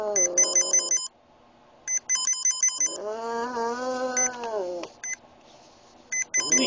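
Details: Oscar, a small pet Boston Terrier with epilepsy, made to howl: a sustained, slightly wavering harmonic howl of nearly two seconds that then drops off. Before and after it a repeating electronic ringtone beeps in quick bursts, and a shorter howl opens the recording.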